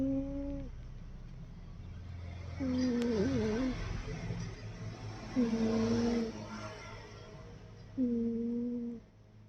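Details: Sleeping domestic cat snoring indoors: smooth, tonal, hum-like snores, each under a second long with a slight waver, returning about every two and a half to three seconds in a quiet small room.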